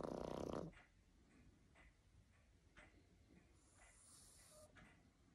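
A Boston Terrier gives one loud, rattling snort-snore, then breathes in soft, rasping puffs.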